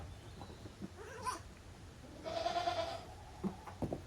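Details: Playful goat kids in the exercise yard of Yoshigake goat farm, Japan, 30 April 2023: a brief high squeak, then a thin, moderately loud bleat of under a second, with knocks and shuffling around it.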